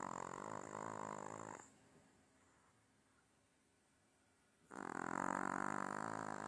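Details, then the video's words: Domestic dog asleep on its owner, snoring: a rough, buzzy, harmonic snore, about three seconds of near silence, then another long drawn snore; faint constant high hiss behind. "My dog snoring on me"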